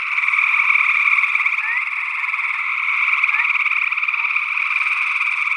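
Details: Gray tree frog chorus from Northwest Wisconsin in early June 2022, ORTF stereo recording: continuous pulsed trills, with two brief upslurred peeps from another unidentified frog, possibly a spring peeper.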